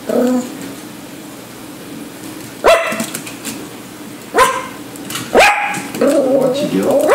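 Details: Yorkshire terrier puppy chasing fish, giving three sharp, high barks spaced one to two seconds apart after a quiet start, followed by a stretch of human voices near the end.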